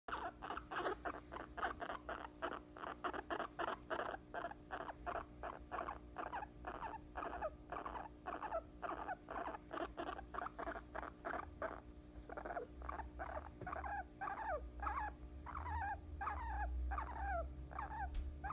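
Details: Guinea pig asleep on a person's lap indoors, giving a long run of rapid, evenly repeated short chirping pulses, about three or four per second, steady throughout, with low rumbling handling noise near the end.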